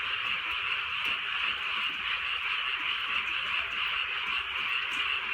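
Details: Rainy night in the countryside with a frog chorus; dense overlapping croaking forms a constant shimmering buzz, rhythmic pulses within, light rainfall and a few soft knocks underneath.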